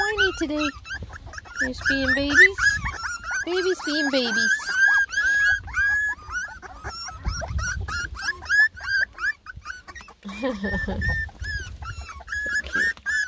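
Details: Litter of ten lemon and tricolor Beagle puppies whining as they try food for the first time; dense overlapping high whines and yips from many pups, with a woman talking over them and low background noise.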